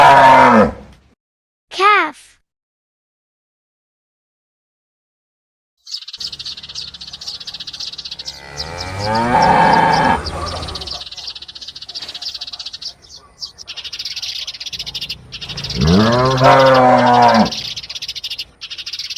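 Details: Calf lowing twice: a long, deep moo with rich harmonics, then a second, shorter moo a few seconds later. Brief spoken words come first, and a steady high insect buzz runs beneath.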